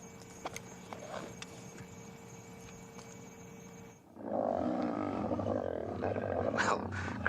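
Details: Lions in the Sabi Sand area, South Africa, on an afternoon game drive near sunset, growl and grumble at each other, apparently squabbling over scraps of meat, in a harsh, rumbling chorus after a quiet, humming start.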